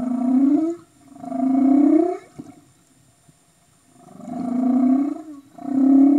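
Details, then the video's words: Humpback whale in Tonga waters, 2015: paired upswept moaning calls, each under a second, in two groups separated by a quiet gap with a sharp click, the pattern repeating. "Humpback Whales"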